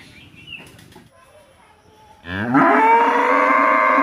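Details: A bull at a farmer's cattle shed in India, filmed by a security camera during feeding and untying. Faint rustling and knocks come first, then a loud, drawn-out moo begins midway and continues with a slightly rising tone.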